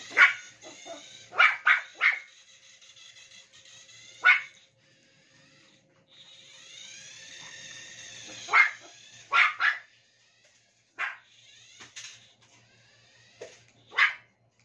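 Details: Toy Poodle playing with a remote-control toy, giving sharp high barks in scattered bursts of one to three, with a whirring toy motor humming between them.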